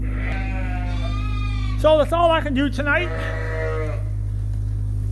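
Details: Suffolk lambs in a barn at Ewetopia Farms, mixed into one big group after a gate was left open, bleating: long harmonic cries, then a wavering, quavering bleat near the middle, over a steady low mechanical hum.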